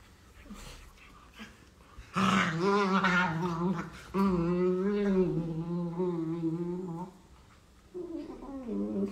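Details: Playing beagle puppies give long moaning growl-howls, rich and harmonic, in two sustained bursts of about two and three seconds with wavering pitch, then a shorter rising whine near the end.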